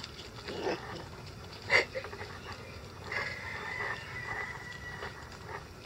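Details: Month-old Icelandic Sheepdog puppies playing in a yard at 6 a.m., happy and active; short soft yips and scuffles early on, then a drawn-out high whine that slowly falls over about two seconds, with faint background noise.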